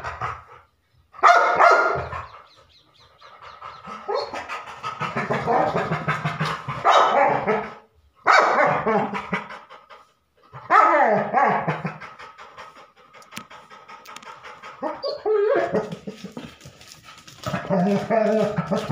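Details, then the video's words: Labrador Retriever dog giving long runs of rough, noisy barking and breathy sounds, in bursts of several seconds separated by brief pauses, with a few quieter gaps between loud volleys. "Labrador Barking Sound Effect"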